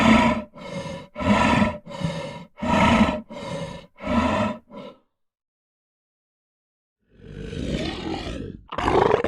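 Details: Lion giving seven regular, gravelly huffing breaths. A silence of about two seconds follows, then a longer, rougher growl that swells, dips, and ends in a loud burst.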